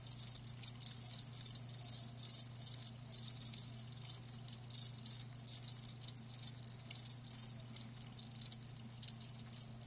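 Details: Live crickets producing sharp high-pitched chirp bursts in regular groups about every half second, accompanied by a low steady electrical hum in the background.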